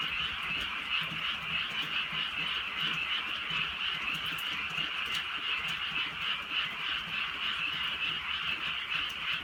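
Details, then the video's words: Many frogs croak together on a rainy night in the countryside, their massed rattling trills forming an unbroken shimmering wall of sound, soft rain patter audible. "개구리 소리"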